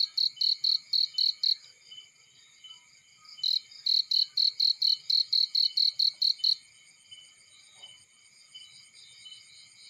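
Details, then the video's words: Cricket chirping in a field, loud high-pitched pulsed chirps in rapid bursts of about six to twelve pulses, pausing between bursts and dropping away near the end; steady high insect chorus behind and a faint low crackle. "Burning with Cricket Sounds"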